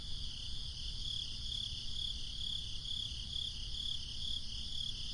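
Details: Summer night crickets chirping in evenly spaced high pulses, roughly two per second, over a continuous insect hum and low breezy rumble.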